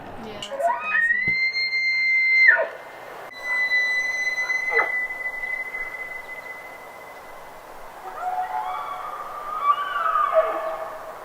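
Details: An elk bugles, a territorial mating call resonated from deep within and through the nose: a rising whistle climbs to a long, high, steady note, then breaks into grunting squeals.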